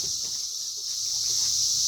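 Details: In the 2021 emergence year, cicadas fill the air with a continuous shrill whirring hum that stays level from start to end, the background otherwise quiet.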